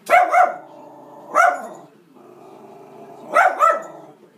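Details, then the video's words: Pet female Schnauzer indoors barking at animals she sees on a TV screen: a quick double bark, a single bark about a second later, then another double bark near the end, with a steady hum of TV sound between them. "Schnauzer Barks at Animals on TV"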